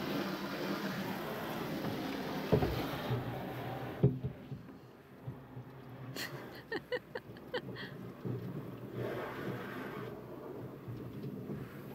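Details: Cat watching a car being washed, scared but curious; broadband rushing noise of water spray and traffic, with a burst of sharp clicks and taps mid-way and faint voices.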